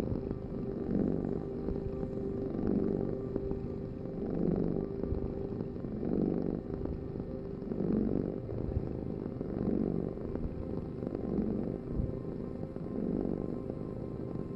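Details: Cat purring steadily, a low motor-like rumble swelling in regular breaths about every 1.7 seconds, eight pulses in a row.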